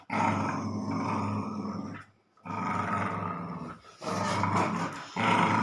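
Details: A German spitz and a labrador, Snoopy and Cion, in a tug-of-war game. Loud, continuous throaty growling in three long stretches of about two seconds each, separated by brief pauses.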